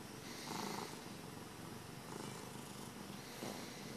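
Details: Happy pet cat purring indoors, a soft low rumbling purr that swells in breathy waves roughly every one and a half seconds, with a faint hiss of room noise underneath.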